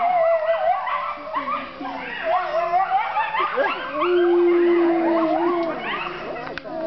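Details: Chorus of wolves at a Colorado wildlife center in midday, several voices howling at once with wavering, yipping higher calls layered over a long steady low howl in the second half.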